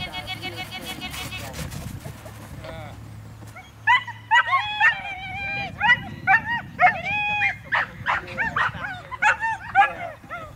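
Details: Border Collie lure chasing, giving a run of high, excited yelping barks, several per second in irregular bursts, after an opening stretch of mechanical whirring from the lure machine; steady low hum throughout.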